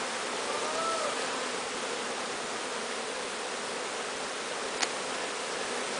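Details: Bee swarm, captured from the top of a large tree, being walked into a new hive. A dense, steady buzzing hum fills the scene, with a brief faint whistle early on and a single sharp click near the end.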